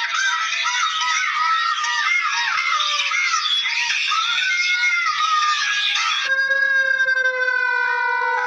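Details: Jackals howl together in a chorus of high, wavering, overlapping wails, said to cry out at morning, afternoon or midday when the call to prayer sounds.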